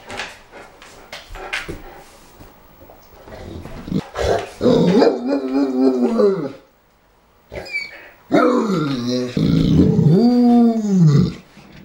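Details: A St. Bernard dog 'talking', making long drawn-out moaning, groaning vocalizations with wavering, arching pitch, two main bouts separated by a short silence, preceded by scattered thumps and rustling.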